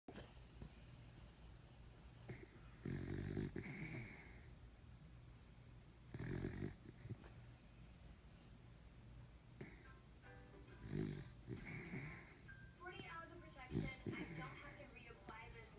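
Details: A napping pet beagle snoring indoors: broad low rasping snores recurring every three to four seconds, with some faint higher wheezy noise between breaths in a quiet small room.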